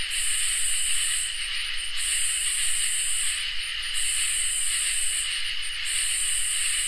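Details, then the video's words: Insect chorus of crickets and katydids on a summer night. A nearly continuous shrill high buzz with short dips, layered over a steady lower trill, fills the recording. "Crickets and Katydids in Summer | Ambient Night Chorus"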